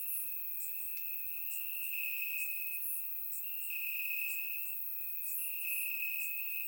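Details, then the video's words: Crickets chirping in the grass on a warm summer night in Bulgaria, captured with a surround microphone: a steady high-pitched trill broken by short pauses every second or two, with fainter, sharper chirps from other insects layered above. "Cricket Sounds - Crickets Chirping at Night"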